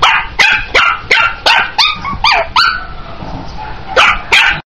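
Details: Chihuahua puppy yapping in a quick series of about ten sharp, high-pitched barks, roughly two or three each second, with a brief pause before two final yips.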